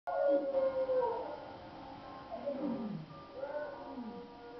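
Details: Dog howling in a drawn-out, wavering series of falling and rising tones, several howls across the stretch, fairly faint with a quiet background.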